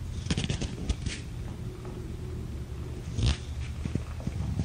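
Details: Kittens of a five-kitten litter, born April 14th to mother Gamora, resting in a lap on May 10, 2018; a low, steady rumbling purr runs throughout, with a few clicks and brief handling noises.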